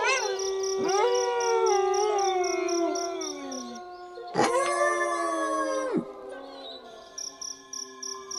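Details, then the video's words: Wolves howling in a chorus: several long, smooth tones overlap, some swooping up sharply then gliding slowly down, with one held steady underneath; a soft, evenly pulsing high chirping continues throughout. "Wolves Howling"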